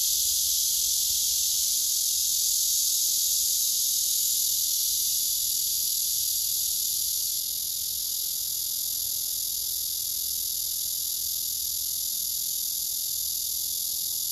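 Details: Persistent courtship song from a male blackish cicada later rejected by the female: an even, piercing buzz sustained for the whole stretch, dipping slightly in loudness midway.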